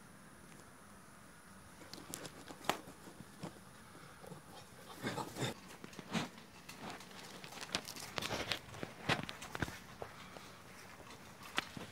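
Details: No animal voice, only soft indoor rustling, crinkling and chewing-like clicks over a quiet background hum.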